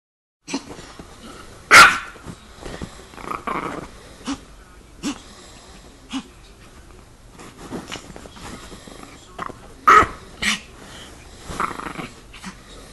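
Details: Chihuahua attacking, giving short growls and sharp barks in scattered bursts, with a loud yap near the start and another near the tenth second, between quieter rasping, wheezy breaths.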